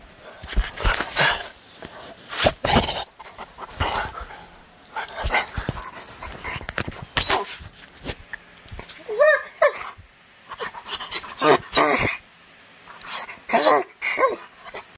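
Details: Great Pyrenees and Labrador mix dog that does not like being recorded, giving bursts of whiny, wavering whimpers and short vocal yelps in clusters with brief pauses, some rising and falling, plus scuffling noises between them.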